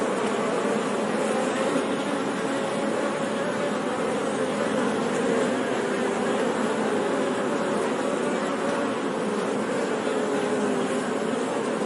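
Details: Honey bees humming as a steady, smooth buzz with a low droning pitch, unchanging in loudness across the stretch, with nothing else clearly heard.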